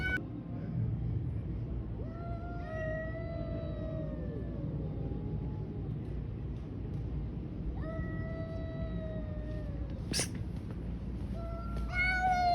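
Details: Cats fighting on the street: two long, drawn-out harmonic yowls, each wavering then sliding downward, separated by a pause, over steady low traffic-like rumble.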